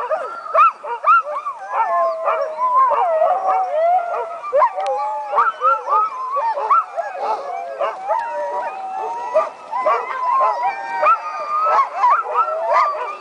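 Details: A chorus of sled dogs howling and yelping at the 2010 Wolftrack Classic Sled Dog Race, roughly an hour before the start, excited about racing; dense, continuous overlapping howls with sharp barks and yips throughout.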